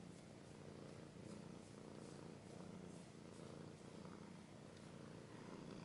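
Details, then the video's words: Domestic cat purring up close, a soft, deep vibrating rumble rising and falling with slow regular breaths, with no other sounds. "Cat's purring / scratching / kinda ASMR"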